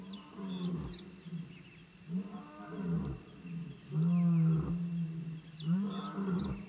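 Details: African wild dog puppies calling at their den: low, moaning harmonic calls about half a second long, rising and falling slightly, given in a loose series with short pauses, over a faint steady hum.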